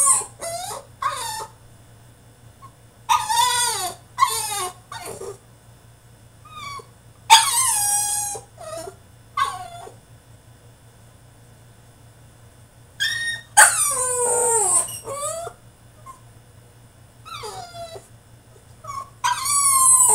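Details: Tantrum from a French Bulldog shut in his cage: a long, uneven run of high yelps, bent whines and occasional harsh screeching outbursts, some sliding downward, with brief pauses between bouts and a low hum beneath.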